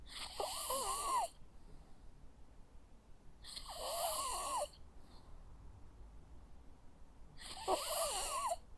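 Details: Sleeping Jack Russell Terrier dog snores three times, one long rasping inhale roughly every three and a half seconds, each carrying a wavering whistly wheeze, with near silence between breaths.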